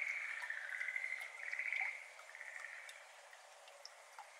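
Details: Schlegel's green tree frog, a species endemic to Japan, calling on 17 May 2022 at 6:53 pm by a flooded iris garden; a rapid rattling trill around two seconds long, then softer calls and falling water drops.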